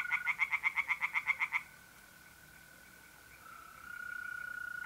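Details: Tree frogs singing in a pond on an April night in north-east Italy: a fast series of about ten sharp pulsed croaks over a second and a half, then a steady high trill of mole crickets that carries on alone.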